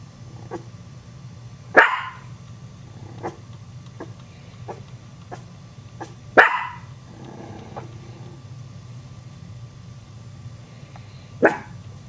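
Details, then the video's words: Frightened Chihuahua puppies give three loud, sharp single barks spaced several seconds apart, with faint soft yips and clicks between them over a low background hum. "Chihuahua Puppies Get Scared"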